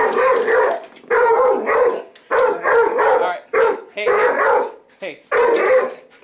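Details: Pet dog barking in reaction to a vacuum cleaner, a string of short, harsh barks in rapid bursts, some doubled, with a man talking and calling to it between barks.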